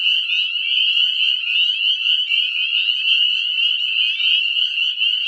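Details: Dense breeding chorus of many tiny Northern Spring Peeper frogs in spring after above-freezing nights, heralding the breeding season at a small woodland; overlapping high peeps merge into a continuous shrill roar with no pause.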